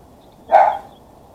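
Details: A single loud, short yelping bark from Max, a pet Chihuahua cross, just after a burst of wild running around; otherwise quiet room noise.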